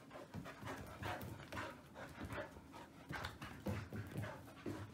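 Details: Woody, a male Old English Sheepdog puppy about 110 days old, born 22 January 2019, pants in quick breathy bursts that repeat unevenly over a soft low rumble, with short louder puffs toward the end.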